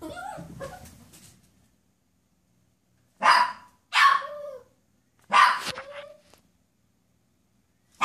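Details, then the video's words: Poodle watching a squirrel coming down a tree in the driveway, giving three loud sharp barks about a second apart after a stretch of quiet, then the start of a fourth; a person's voice at the opening. "Poodle and Squirrel"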